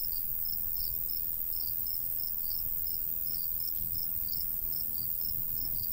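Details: Summer countryside crickets by a golden wheat field give short high chirps in quick, slightly uneven groups, layered over a continuous low rustle of light wind.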